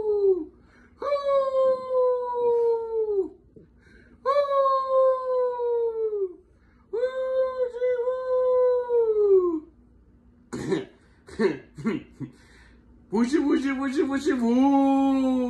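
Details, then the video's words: Several Chihuahuas howl in three long, steady, wavering wails. A burst of sharp, choppy barks follows, then a rising chorus of overlapping howls from more than one dog. "Chihuahua dogs barking and hauling"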